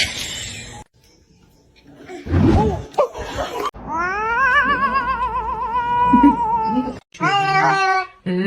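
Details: Kitten meowing: a long, drawn-out meow with a wavering, trembling pitch, followed by a short burst of rapid, higher meows. Brief rustling and a quiet pause come first, with no other clear sounds.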